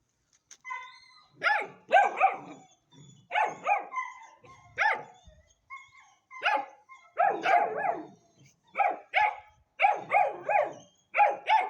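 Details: Hanoverian Scenthound puppy aged ten weeks, barking steadily: bright, yappy barks, often in quick doubles, repeated about every second for the whole stretch.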